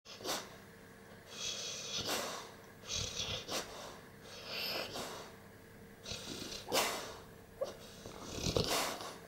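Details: Gorman, a 16-month-old Staffordshire Bull Terrier, dreaming in his sleep: irregular breathy puffs and snuffling bursts every second or two, with quiet stretches between and a faint steady hum underneath.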